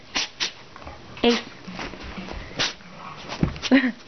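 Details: Pitbull puppy indoors sneezing several times, each a short breathy broadband burst spread across about four seconds, with an adult voice talking softly between the sneezes in a small room.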